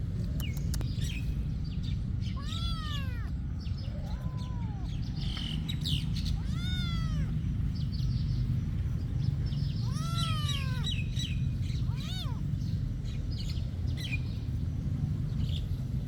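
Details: A monastery cat meows repeatedly, five arched, rising-then-falling cries spaced a few seconds apart, with a constant low background hum and scattered faint high chirps.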